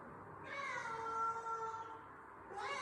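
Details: Cat meowing: one long, steady, slightly falling miaow lasting over a second, then the start of another rising meow, in a quiet room.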